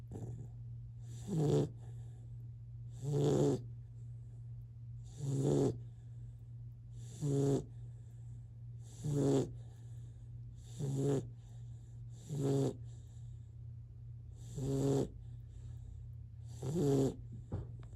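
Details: A Great Dane puppy asleep, snoring loudly and roughly like a buzzsaw: nine harsh, raspy breaths at a steady pace of about one every two seconds, over a constant low electrical hum.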